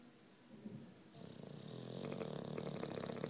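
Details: Juanito, a nine-year-old British Bulldog asleep, starts with soft breathing that builds into a loud, fluttering, rattling snore growing stronger toward the end.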